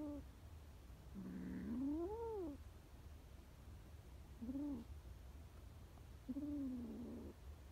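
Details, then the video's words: Scared stray kitten giving three meows: one long arched wail followed by two shorter rising-falling mews, with faint low hum behind. "scared kittens trusts a human and don't trust her breed"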